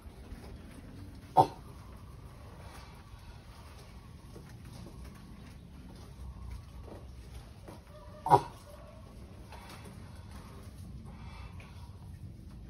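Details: Mating sulcata tortoise, a pet animal, with two abrupt, harsh grunts about seven seconds apart and softer scraping noises in between over a constant low hum.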